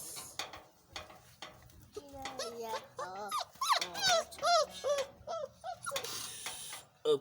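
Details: Five-week-old Boerboel puppies at breakfast time, indoors, several pups whining and yelping in quick bursts: high, arched, wavering whimpers tumbling over one another from the second second on, with brief quiet gaps and a final sharp yelp.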